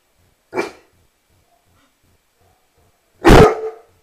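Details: Rhodesian Ridgeback dog giving two single deep barks about three seconds apart, the first short and quieter, the second loud and full, with silence between.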